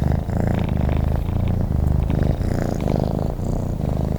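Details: Purring from a sleeping cat, a low pulsing drone that rises and falls in even cycles of about half a second, close and clear, with nothing else audible.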